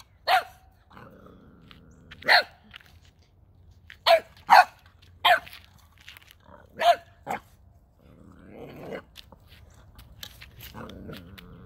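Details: Gizmo, a nine-week-old male Boxer puppy, barks at a toy he has never seen before on December 9th, 2021. About seven sharp barks come in uneven bursts, some in quick pairs. An owner urges him on near the end.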